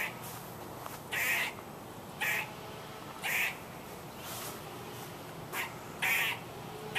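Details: A squirrel giving harsh, hoarse barks at uneven intervals, some long and strong, others short and softer, with faint hiss between calls.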